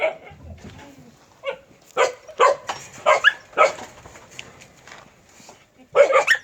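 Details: Native Korean Jindo dog barking in irregular bursts: several loud, abrupt barks clustered together, a pause, then a final cluster of louder barks, with quiet background noise between.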